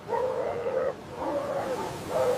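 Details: Noisy, social sea lions from a colony on the rocky Atlantic coast of Patagonia give three drawn-out, hoarse, bleating barks, each lasting most of a second, over a low steady hiss.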